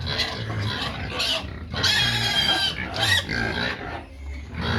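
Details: Several pigs calling noisily because they want feed: harsh, broadband squeals of about half a second overlap with low grunting, in bursts one to two seconds apart, with no pause between them.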